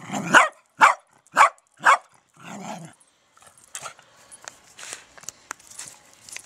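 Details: Dachshund at a garden allotment giving four sharp, punchy barks roughly every half second, with a longer, hoarser bark after them. Fainter, broken barking and rustling follow.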